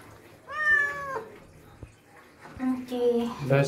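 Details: Indoor pet cat angry about a shower after a typhoon: two loud, long wailing meows, the first flat and falling, the second lower and rising into a sharp cry, with faint room noise.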